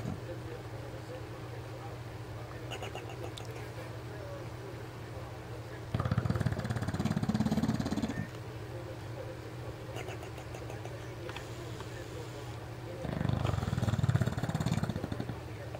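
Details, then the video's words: A 4-year-old male English bulldog snores while asleep, in loud, rattling rasps about every seven seconds over a steady low hum. "Funny English Bulldog snore"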